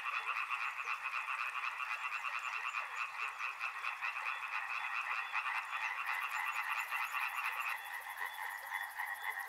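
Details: Many frogs croaking at once near a river, a dense rattling chorus that thins slightly toward the end, while a high, rapid ticking buzz rises above it in the latter part.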